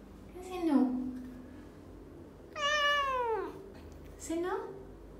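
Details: Pet cat Mo, a talking cat that has learned to say no when she disagrees, gives three meows: a short falling one, a long arched call rich in overtones, then a brief rising one. The room is otherwise quiet apart from a faint low hum.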